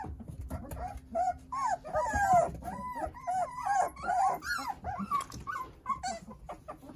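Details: Nine Jindo puppies toddling and playing under their mother Sarang's care: a run of high, arched whines and squeals, each bending up then down, overlapping in quick succession with soft rustling behind.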